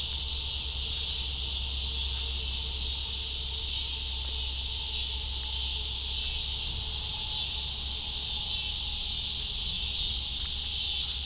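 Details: Cicadas droning in a loud, seamless, high-pitched buzz that never pauses, with a faint steady mid-range tone and low background hum.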